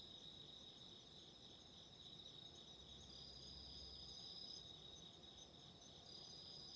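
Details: Autumn insects calling in a steady high-pitched chorus, two thin continuous shrill bands held throughout, set against a soft low crackling rumble like candle fire.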